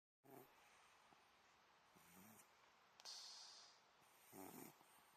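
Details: Old Scottish Fold cat fast asleep, snoring softly: faint, rough, low breathy snores come in short irregular bursts, with a higher airy hiss between them, in a quiet room.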